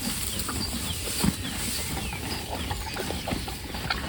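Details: Horses chewing hay, given while the grass improves: dense, crackly munching with soft rustling throughout and a brief louder crunch near the middle. Thin bird twitters sit faintly above.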